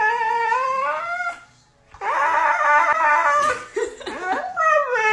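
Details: Pet dog indoors in a small room, howling in long drawn-out tones that rise and waver, then breaking into a louder, rough, strained stretch before a brief rising wail at the end.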